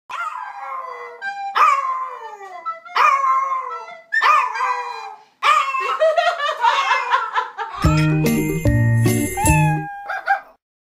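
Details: Dog howling in so-called harmony alongside a mother's hearty laughter, with a series of long, falling, tuneful howls in short bouts, followed by a bright jingling musical flourish near the end.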